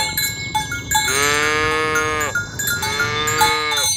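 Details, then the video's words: A morning herd of tame cows moving toward the pen, calling each other to gather: two drawn-out, level moos in quick succession, backed by bright, ringing cowbells. "Suara sapi lembu berkeliaran di ladang rumput hijau memanggil kawan untuk berkumpul - Bunyi sapi"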